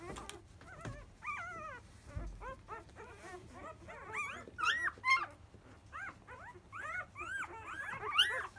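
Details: Field-type Labrador Retriever puppy, five days old and the offspring of 2017 JFA grand champion biscuit, during a 10 a.m. feeding, squeaking and whining in a quick irregular run of high arched yelps, with soft low thumps between.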